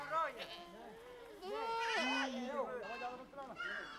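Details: A herd of Changthangi (Pashmina) goats mixed with sheep in the Himalaya. Many overlapping wavering bleats of differing pitch form a continuous chorus.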